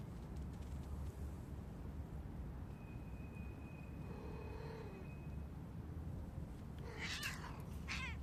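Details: Street cat in spring, meowing outdoors: a drawn-out tonal meow midway, then brighter, rising and falling meows near the end, over a steady low rumble of traffic and a thin sustained whine.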